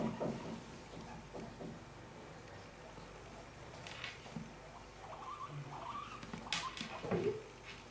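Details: Two pet guinea pigs, Cip and Ela, indoors: short, low squeaky chirps wavering near the same pitch, clustered in the second half, with soft rustling and patter of movement throughout and a few brief clicks.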